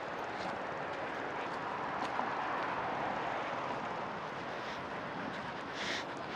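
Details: Steady, loud broadband rushing hiss throughout, with no animal voice heard.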